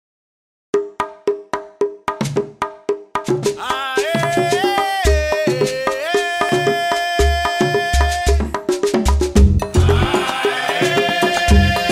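Upbeat Latin-style music with wood block percussion, a sustained melody and a steady bass beat.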